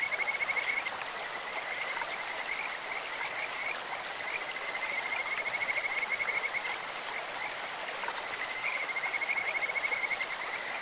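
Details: Kajika frogs croaking in a clear stream, repeated high pulsed trills at one pitch, some short, some several seconds long, blending with continuous splashing current.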